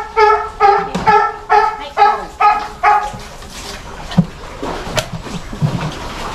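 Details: A South American fur seal pup about one month old, born in captivity and lively, biting staff, gives a quick series of harmonic, bleating calls, followed by quiet human voices.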